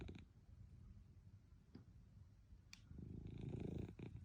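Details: Napping Munchkin cat purring and snoring at midday, a quiet low rhythmic rumble with a sharp click partway through, then a louder, rustling rumble toward the end.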